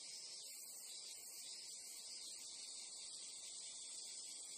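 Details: A steady, high-pitched shimmering drone of many Japanese crickets or cicadas calling together without pause, a nature ambience.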